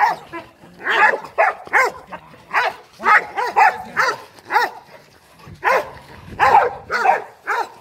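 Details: Boerboel and Rottweiler guard dogs, trained for home protection, give loud, clipped barks in uneven bursts, some doubled, with softer whining sounds between them.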